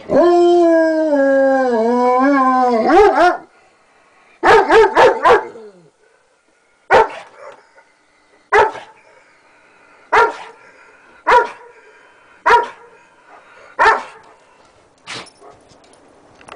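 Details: Older Alaskan Malamute on guard, giving a long wavering howl for about three seconds, then a quick burst of four sharp barks followed by single barks spaced roughly every one to one and a half seconds; a man speaks briefly.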